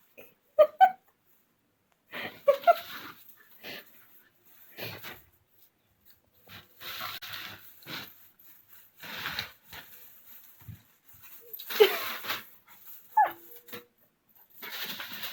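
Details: Jett, a male Vizsla puppy in his first few weeks, gives brief high whimpers at scattered moments, near the start, around the third second and twice late on, between bursts of breathy snuffling and wheezy breathing in a quiet indoor room.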